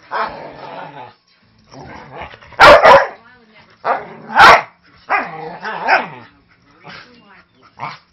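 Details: Manchester Terrier mix, five years old, playing noisily and sounding aggressive but harmless with a three-month-old husky lab mix puppy: a burst of two loud barks, another single bark, plus growly, whiny vocalisations and human chatter between them.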